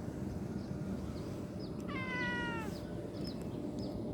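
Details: A cute kitten during play gives a single high, drawn-out meow that slides gently downward and lasts under a second, over a steady low background hum.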